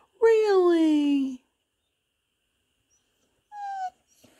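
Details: Pembroke Welsh Corgi named Hoover pleading indoors for a cookie: one drawn-out whine sliding steadily downward for about a second, silence, then a short high falling whimper; quiet room, no other sounds.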